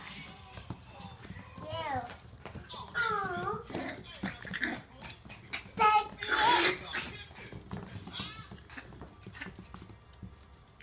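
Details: Two 2-month-old male Miniature Pinscher puppies playing together give wavering, high whines and short yips in quick, irregular bursts.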